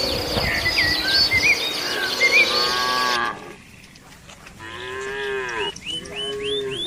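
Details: Herd of qurban cattle eating green grass from villagers. Bright bird twittering fills the first half, then quieter surroundings bring two clear, higher-pitched moos, each about a second long, with birds still chirping.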